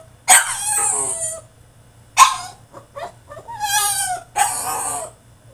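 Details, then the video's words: French Bulldog in a cage tantrum, producing loud raspy yelping cries about every two seconds, broad and noisy with high harmonics, mixed with short whimpers and a wavering whine near the end. "FRENCH BULLDOG THROWS TANTRUM IN HIS CAGE!!"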